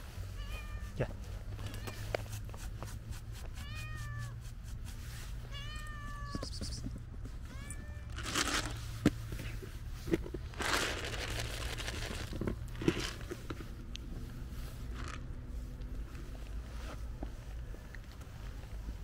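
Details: Female cat behind a park fence meowing for food; several short arched meows early on, then rustling, clicks and handling noises dominate while the calls fade.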